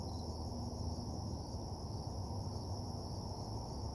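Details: Short stretch of night crickets at an empty parking lot: a constant shrill trill sits high above a loud, rumbling low background hum.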